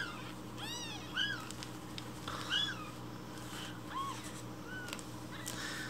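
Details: Hungry rescued baby kittens loudly demanding breakfast milk in the morning; rapid, overlapping rising-then-falling meows from more than one kitten, repeated every second or so over a low indoor hum.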